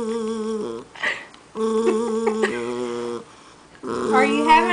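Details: Temperamental Jackshund crying and growling at his granny indoors: steady, droning moans broken by short pauses and brief breathy sounds, ending in a rising, wobbling whine.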